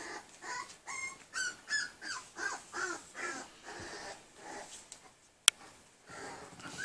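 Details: Tri-colored male Pembroke Welsh Corgi puppy from Maid Marian's 2019 litter gives a run of about a dozen short, high, tonal yelps and whines, roughly three per second, then falls quiet after a sharp click near the end.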